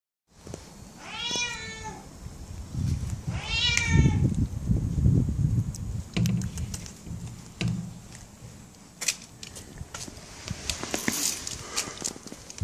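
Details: Adopted tomcat, formerly in an animal shelter in Germany, meowing because he wants out: two drawn-out, rich meows that rise then fall, about two and a half seconds apart, followed by rustling, shuffling and sharp clicks.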